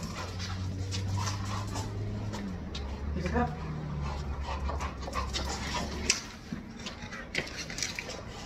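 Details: A male Chow Chow gives a low, rumbling growl with panting breaths during tug play in a training session, while a person talks and praises him nearby.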